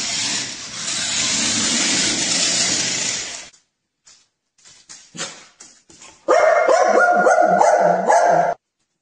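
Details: Pet dog in a funny-dogs compilation: after a loud burst of broadband rustling and a few soft knocks, a drawn-out, tonal, wavering vocal rises and falls for about two seconds, then stops abruptly.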